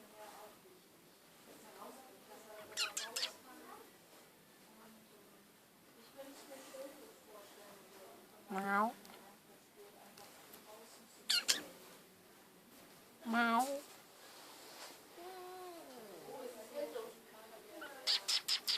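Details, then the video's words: Cat in an animal shelter, perhaps waiting for food, gives scattered short meows and one falling drawn-out meow over eighteen seconds, among clicks, sharp knocks and a person talking quietly. "Meowing and Yawning Cat"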